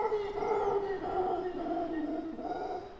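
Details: Solitary male howler monkey howling a few hundred meters away in Brazilian rainforest and drawing closer: one long, deep, continuous moaning roar with rich harmonics, wavering and slowly sinking in pitch before fading at the end.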